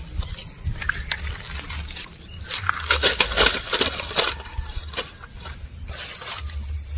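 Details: Cows and bulls walking and eating grass outdoors: irregular crisp tearing and crunching bursts, densest in the middle, with a steady high-pitched hiss and low rumble underneath.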